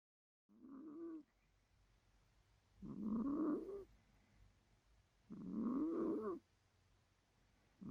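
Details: Midget, a pet cat, snoring while asleep: three raspy, nasal snores, each rising slightly in pitch, come about every two and a half seconds, with soft breathing between and a quiet room behind.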